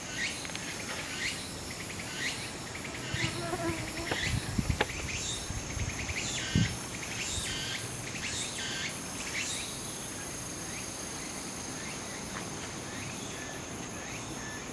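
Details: Walker's cicada singing on Ikarizuka mountain, Japan, on 4 September 2016, the day before Typhoon No. 12 made landfall; rising buzzy sweeps repeat about once a second over dense insect hiss and a steady high whine, with some knocks and rustling.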